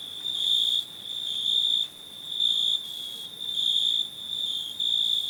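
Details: High-pitched cricket chirps, each a shrill ringing burst lasting about half a second to a second, repeated nearly once a second over a faint continuous trill.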